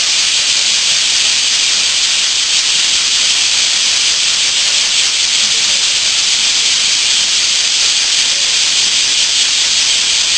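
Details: Bear cicadas in a loud early summer morning chorus in western Japan: a dense, unbroken hissing buzz that holds steady and even for the whole stretch, with no pauses or other sounds.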